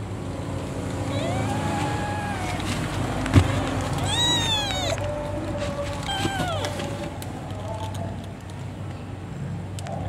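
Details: Domestic cat named Cimoi, giving birth to kittens: several drawn-out meows that arch up and fall, one higher squeaky harmonic-rich call midway, over a steady low engine-like hum with some human voices.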